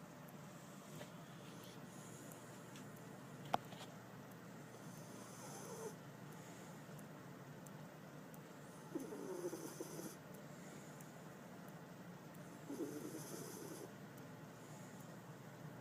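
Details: A female Jack Russell terrier, sound asleep in someone's arms, snores softly: three slow breathy wheezing snores spaced about three to four seconds apart over a quiet room hum.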